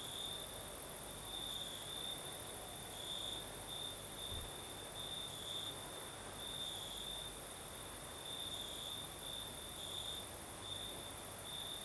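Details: Nighttime cricket chorus in southern Crimea under a night breeze, a continuous high-pitched trilling that swells in short pulses, layered over a thin higher shrill and gentle breeze noise.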